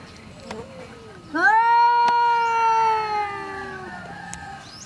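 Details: Female domestic cat angry at a neighbour's male cat: one long drawn-out yowl, sharply rising then held level before sagging lower, rich in harmonics, with faint clicks and quiet background.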